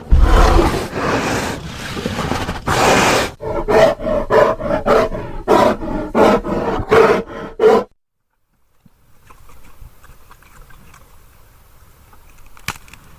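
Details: Grizzly bear roaring: a long harsh roar for about three seconds, then a run of short, loud, rhythmic growling bursts roughly every half second, ending abruptly around eight seconds, followed by faint background noise.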